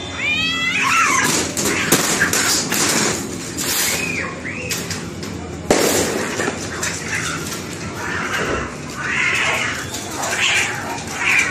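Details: Cats in a brutal fight: short rising-falling yowls, then bursts of harsh hissing and spitting noise, followed by broad wavering screeches toward the end.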